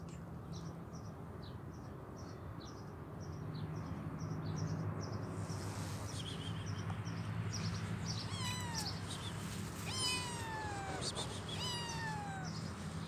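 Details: Hungry homeless kitten with both legs amputated and troubled eyes, giving three clear descending meows in the second half, each sliding down in pitch, over steady low rumbling and rapid high ticking in the background.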